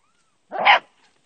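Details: Puppy playing with its mother, giving a single short, sharp yelp-like bark lasting about a third of a second, loud against otherwise near-silent surroundings.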